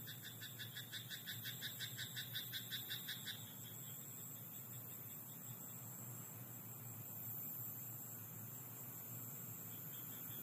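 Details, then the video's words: Frog calling from a rice paddy at night: a rapid run of pulsed, rattling croaks, about three per second, for the first three seconds, then it falls silent. A steady low hum and a constant high insect-like hiss continue underneath. "Croaking frog in rice paddy at night"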